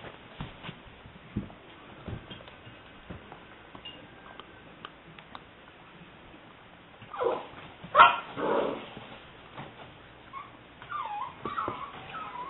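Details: Seven-week-old female English Springer Spaniel puppy, liver and white tri-colour, recorded 18 May 2009: soft clicks and shuffling, then a couple of loud, rough barks followed by thin, wavering high whines.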